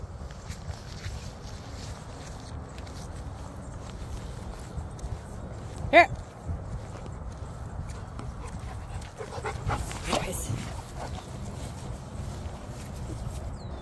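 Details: German Shepherd giving one sharp, loud bark about midway through, standing out from a steady low rumbling background; a few softer knocks and rustles follow later.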